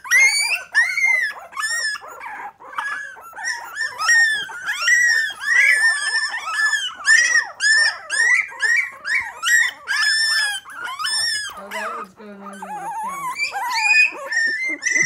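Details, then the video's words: Three-week-old Miniature Pinscher puppies, five in the litter, still mostly in the baby bed and finding their voices; a busy chorus of shrill squeals and yelps, with a lower grunting whine near the end. "Miniature pinscher puppies 3 weeks old we are finding our voices"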